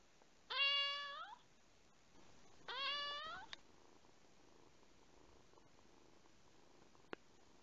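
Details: Rescued domestic cat indoors, one of a household's cats, gives two drawn-out, clear meows about two seconds apart, each rising then falling slightly, followed by near silence and a single sharp click.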